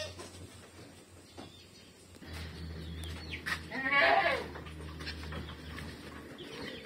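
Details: A kept goat gives one wavering, strongly harmonic bleat lasting about half a second midway through, set against a steady low hum and faint scattered chirps.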